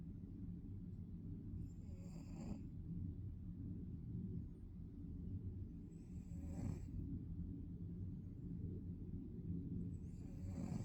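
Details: Deep, low snoring from a Maine Coon cat fast asleep, with soft airy breaths rising every four seconds or so over a continuous droning hum.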